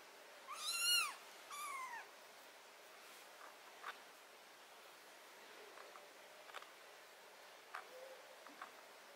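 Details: Two loud, strained meows, the first higher and harsher, come from a cat having botfly larva, ringworm, fungus and blackheads removed from its skin. Faint clicks and handling noises follow in a quiet room.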